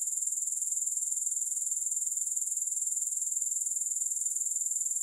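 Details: Unbroken shrill chorus of grasshoppers, high and hissy, with rapid even pulses roughly four per second and no music or other sounds.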